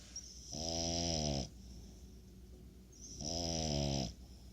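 A French Bulldog snores loudly, each breath a drawn-out, buzzing rattle with a hissy edge lasting about a second. Two snores come roughly three seconds apart, with quiet breathing between.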